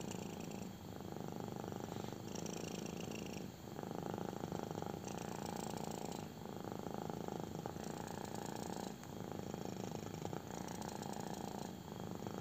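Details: Kitten purring intensely while getting a belly rub indoors: continuous low rumbling purr in broad bands, swelling on each breath and pausing briefly about every one and a half seconds, with faint rustling of hand on fur.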